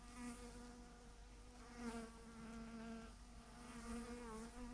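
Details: Massive clump of thousands of bees hanging from a branch, their wings making a continuous, rich, humming buzz. The drone wavers slightly in pitch and loudness as individual bees fly near and away.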